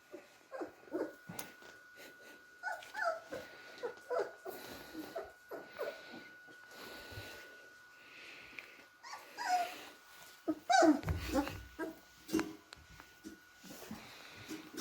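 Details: Beagle puppies, three and a half weeks old, playing together: a long run of soft whimpers, small grunts and short high yips, some louder squeals near the end, with a faint steady hum behind.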